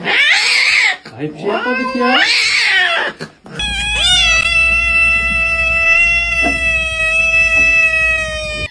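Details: Cat meowing indoors, a long drawn-out meow holding a steady pitch for several seconds, preceded by two shorter wavering cries and some voices.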